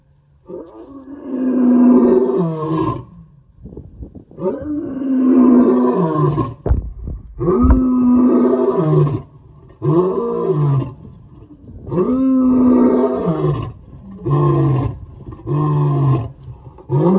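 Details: Male lion roaring, one of three big males compared for the loudest roar; long deep roars of about two to three seconds each, repeated with short gaps, followed by shorter grunting roars toward the end.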